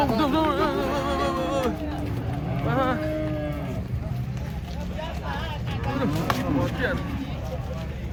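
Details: Cattle being unloaded from a truck at a market in Indonesia; several drawn-out lowing moos with wavering harmonics in the first three seconds, then shorter rising calls, over constant engine rumble and crowd noise.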